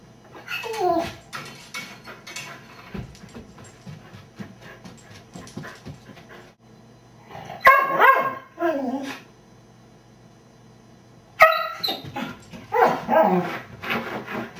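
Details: Lucy, a beagle mix left home alone and caught on a home camera, gives three separate bouts of drawn-out, wavering howls and whines, each sliding downward in pitch, with quiet rustling between them.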